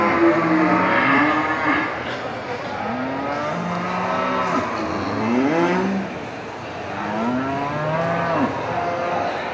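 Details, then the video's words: Buffalo cows calling their friends in a busy market: overlapping drawn-out moos, several rising and falling in pitch, layered over continuous crowd and traffic-like background noise. "the sound of buffalo cows in the market calling their friends"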